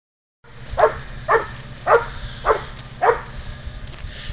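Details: Spud, a pid dog, bays up a goat during a catch-and-release hunt: five sharp, hoarse barks spaced about half a second apart, then quiet with low background rumble.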